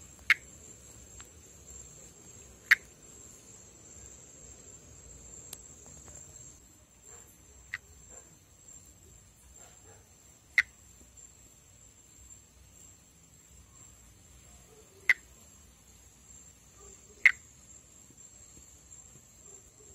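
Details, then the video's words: Northeastern Brazilian monkey tree frog, Pithecopus nordestinus, vocalizing in amplexus above water. Six isolated click-like notes spaced irregularly two to five seconds apart, with a continuous shrill insect band and faint low rustle behind. "Vocalização e amplexo de Pithecopus nordestinus"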